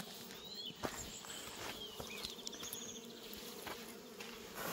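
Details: Orchard bees in New Zealand hum continuously around Reg the cat, a droning buzz with steady low bands, with sharp bird chirps and whistles and a few soft knocks.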